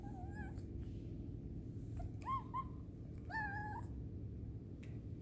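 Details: A cat eating its food aggressively gives short meows with strong harmonics: one near the start, two brief rising calls around two seconds, and a longer wavering meow near three and a half seconds, over steady low room hum.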